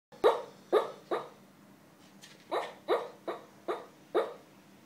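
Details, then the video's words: Pet dog asleep at work, dreaming and barking: a run of soft muffled woofs, three, a short pause, then five more, roughly every half second, in a quiet room. "Dreaming and barking"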